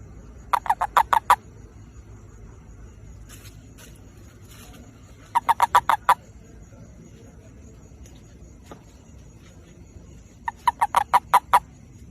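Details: Toad calling to attract a mate: three short bursts of five or six rapid, clicking pulses, each burst about a second long and spaced roughly five seconds apart, with a few faint ticks between them over a quiet low hum.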